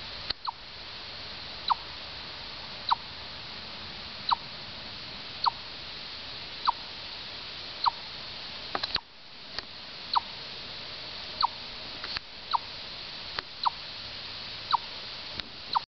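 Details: Chipmunk in Orr, Minnesota, giving single sharp chips at an even pace, about one every 1.2 seconds and thirteen in all, over a steady background hiss.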